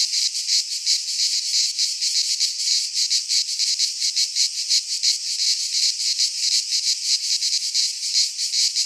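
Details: In a Greek pine forest at midsummer, cicadas produce an unbroken, piercing high buzz made of fast rhythmic pulses, steady in loudness from start to finish.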